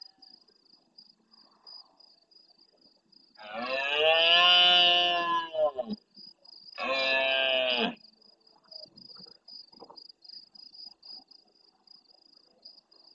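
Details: Large red deer stag in the Doñana National Park marsh at El Rocío, Almonte, Huelva, Spain, roaring intensely at nightfall near a live camera, answering distant stags: two harsh, deep roars, the first long and the second short, over a steady high insect trill.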